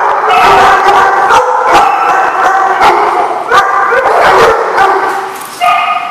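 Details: A group of dogs keeps up a loud, overlapping barking chorus of short, sharp barks and higher yips. The bursts come several per second, with a brief lull near the end before the barking resumes.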